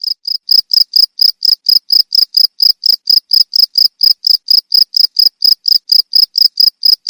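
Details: Cricket calling in a loud, steady series of short, high-pitched chirps, about three to four every second, evenly spaced with brief silent gaps and no other sounds.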